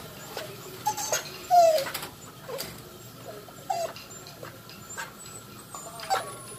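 A Siberian husky gives a few short, high whines that slide downward in pitch.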